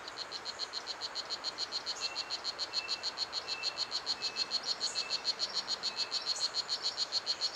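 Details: Blue Jeans, the strawberry poison dart frog, is the loudest frog in Pierella Ecological Garden, heard all over its three hectares. Sharp, high-pitched chirps repeat evenly at roughly three and a half per second, with occasional faint thin whistles behind.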